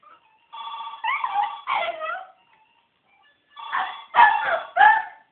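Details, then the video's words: Pet West Highland White Terrier howling, or singing, along to a ringing telephone: two bursts of wavering, harmonic howls with pitch bends, separated by a short silence, over steady ringing tones. "Archie the howling (singing) westie haha"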